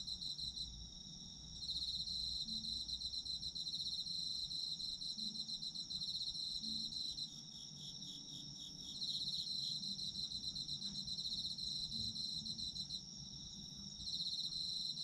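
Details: Autumn insects trilling, rapid pulsed chirps rising and falling in intensity over a constant high ringing tone, with brief dips in the chorus and faint low background sounds.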